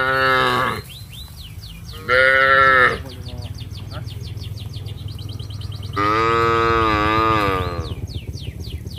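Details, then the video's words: Village cattle mooing to call their companions while heading down to the rice fields: three rich, rising-then-falling moos, the last one longest, over a steady low engine-like hum with light chirping. "Bunyi sapi memanggil teman teman"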